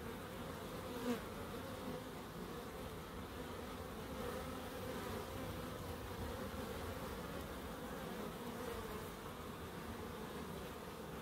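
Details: Continuous bee drone in a small home wildlife garden in Crookes: a soft, even humming layer with a short louder buzz near the start as one bee flies by.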